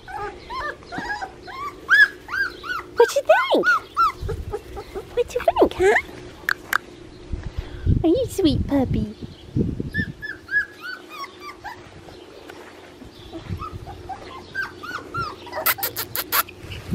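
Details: Blue merle male Australian Shepherd puppy from a licensed breeding farm in Oklahoma, with puppy whimpers and yips in rising-falling bursts, mixed with other whines, clattering and some background noise.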